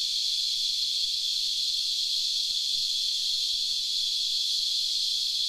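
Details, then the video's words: A cicada on a tree gives a loud, steady, high-pitched buzz that drones on without a break. "Cicada Calling Molting And Making Love On The Tree"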